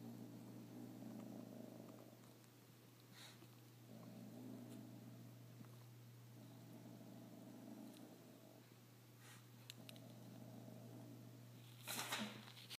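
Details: Retro, a cat annoyed by a scrap of paper that fell off his wad while he played, growls in repeated low, purr-like rumbles every couple of seconds, with faint taps and a rustle near the end.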